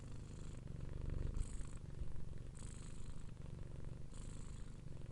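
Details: Purring from a domestic cat, a deep continuous rumbling vibration, swelling slightly in the middle, with soft airy hiss patches recurring roughly every one and a half seconds as the cat breathes.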